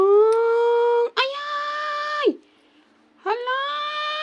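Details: Kitten trying to sleep, giving three drawn-out, steady meows, each about a second long. The first two end with a downward slide, and a short quiet gap comes before the third.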